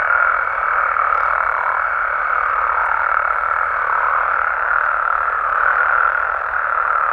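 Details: Nighttime amphibian chorus from Mexico: countless frogs and toads blend into a continuous, rough, mid-pitched drone that barely changes in loudness, with a faint steady tone above.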